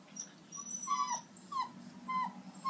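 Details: Two Siberian Husky puppies on their first vet visit whimper and whine in high, falling squeals, showing distress.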